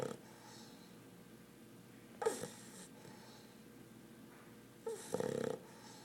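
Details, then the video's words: A four-month-old English Bulldog puppy, fast asleep, snores: two rattling, snorting breaths breaking a quiet background. "Snoring English Bulldog puppy"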